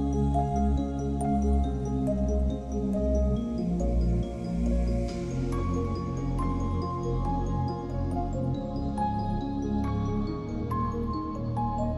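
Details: Soft ambient music with sustained tones and gentle plucked notes, and no animal voice audible.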